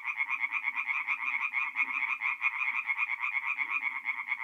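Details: Chorus of tree frogs singing by night at a forest pond in north-eastern Italy in mid-April: rapid, evenly pulsed rattles over quieter low grunting calls.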